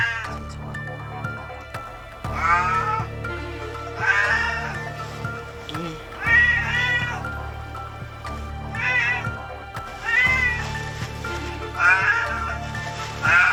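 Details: Wildfire survivor cat in South Korea, badly burned on fur, leg and face. At first it lay so still the rescuers took it for dead, then it meowed. Around six repeated, quavering meows come at irregular intervals over soft music.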